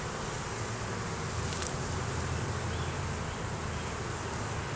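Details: Colony of honey bees being inspected in a beeyard, the hive a split was taken from, now with a laying queen; captured by a Canon Rebel T6. A thick, rumbling buzz fills the whole stretch, with one brief bright scrape midway.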